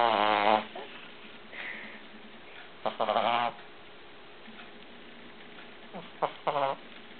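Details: A sleeping Cavalier King Charles Spaniel puppy snores, giving three short nasal, harmonic snorts about three seconds apart, with soft breathing hiss between them in a quiet room.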